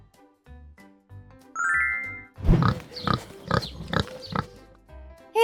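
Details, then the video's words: Pig making a run of five or six short rhythmic grunts, about half a second apart, following a bright chime and light children's music in an animal-sounds lesson for kids. "Este es el sonido que hace un cerdo."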